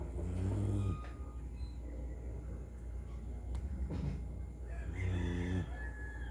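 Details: Dog from Bulacan in the Philippines snoring like a human: low, buzzy, rattling snores in three bursts over about six seconds, the first and last loudest, over a steady background hum.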